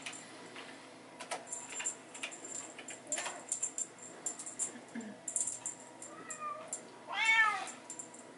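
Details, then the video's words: Playtime in a hallway for Bengal kittens and their mother with a teaser toy: clattering, jangling play noise fills most of the stretch before a single loud bent meow rings out near the end. "Bengal babies playing in the hallway"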